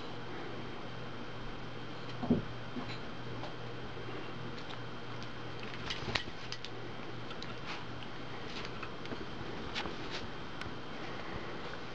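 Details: Steady indoor hum with scattered soft clicks and taps, and no clear animal voice.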